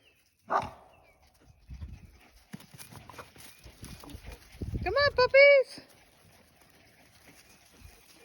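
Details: Australian Shepherd puppies roaming a farm give a quick pair of rising-and-falling harmonic yelps late on, after a person's voice, rustling and a sharp knock.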